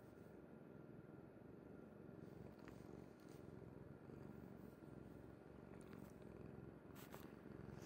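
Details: Pet cat Kuri dozing on mother's bed, giving a soft, continuous low purr like a faint steady motor hum, with a few light clicks and rustles in a quiet indoor room.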